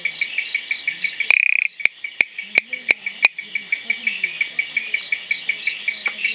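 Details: Raorchestes luteolus, the blue-eyed bush frog, giving a run of brief repeated clicking notes a few per second, broken by one quick rattling burst and a handful of sharp louder clicks.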